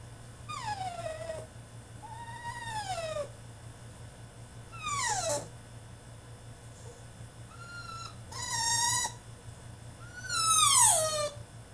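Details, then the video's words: French Bulldog throwing a tantrum in his cage, giving repeated high, drawn-out whines that slide downward, about five cries roughly every two seconds, some rising into shrill squeals, with a steady low hum behind. "FRENCH BULLDOG THROWS TANTRUM IN HIS CAGE!!"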